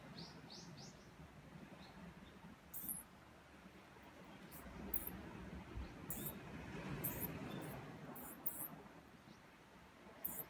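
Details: A mouse being harassed by a cat gives thin, high squeaks in short, irregularly spaced bursts over a low background hum.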